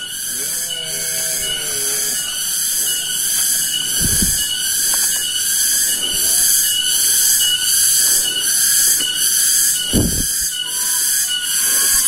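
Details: Several cicadas (tonggeret) calling in an afternoon village setting in Kampung Sindanrasa, Rajadesa, Ciamis, West Java, Indonesia: a dense, shrill high buzz pulsing in regular surges about twice a second, with brief human voice and footstep sounds below.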